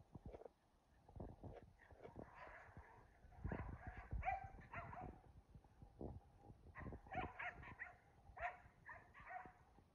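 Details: Keeshond and Boston Terrier at play, tugging and jousting together: rough, rumbling growls rise and fall in short bursts, with huffs, nasal snorts and scrabbling movement between them.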